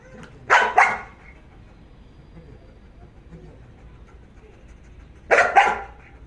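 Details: Belgian Malinois named Jax, in obedience and guard training, barking on command without attacking: two sharp double barks, one near the start and another about five seconds later, with a quiet pause between them.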